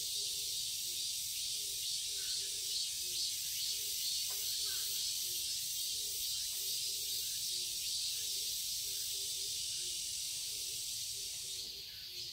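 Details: A chorus of cicadas fills a garden in Seoul, Korea, in summer with an unbroken high buzzing. Soft low repeated notes tick along beneath, and the drone fades slightly at the very end.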